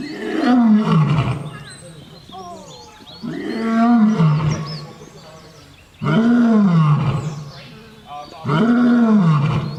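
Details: Lion roaring in long, downward-sliding moans about two seconds each, four bouts in all, with faint high chirps or whistles in the background between roars.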